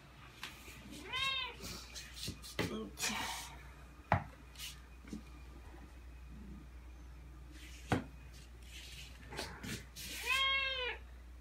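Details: Ragdoll cat named Aoi, about two and a half years old, meowing indoors as its owner changes into outdoor clothes to go out; two drawn-out arched meows several seconds apart, with footsteps, rustling and handling noises between.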